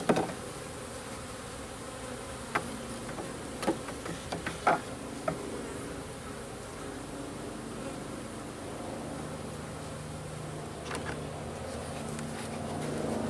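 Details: Local bees being installed into a garden-style backyard hive on the first days of a new colony; a steady low hum of buzzing wings fills the clip, with a few sharp knocks and clicks around the middle.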